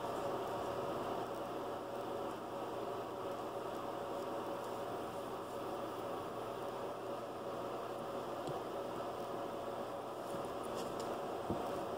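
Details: Steady hiss like a fan or appliance, with no animal calling.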